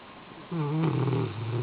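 A Rottweiler snores with a deep, droning rumble that sags slightly in pitch.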